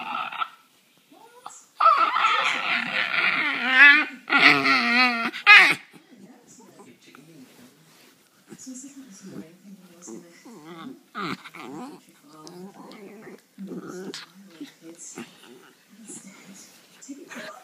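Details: Charlie, a pet border terrier, singing indoors in a small room: a loud wavering howl around two to six seconds, broken into rising and falling pitches, followed by quieter talking and faint sounds.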